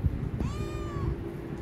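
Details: Pet Himalayan cat asking for food, giving a single drawn-out meow that rises quickly then holds a level, slightly falling tone for about half a second over a constant low hum.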